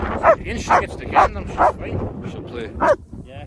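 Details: German Shepherds Nico and Zeeva: five short, sharp barks in about three seconds, four evenly spaced and then a pause before the last, over a low background rumble.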